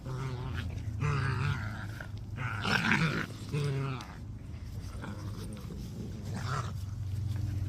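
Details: Dalmatian puppies from one litter playing together: bursts of harmonic, whiny yelps and rough growls come in short groups near the start, middle and end, over a steady low hum.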